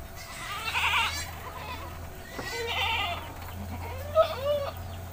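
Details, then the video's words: Village goat being bathed in rural Indonesia, giving a few short wavering bleats amid a steady low hum and scattered background noise. "Kambing 🐐 di desa sedang mandi‼️"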